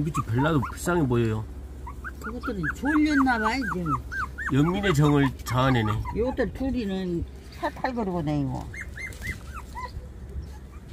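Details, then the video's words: Whimpering from 24-day-old puppies: a long run of wavering, harmonic cries, some short and clipped, others drawn out and bending up and down in pitch, over a steady low hum. "태어난 지 24일 째 강아지 성장 과정(11)"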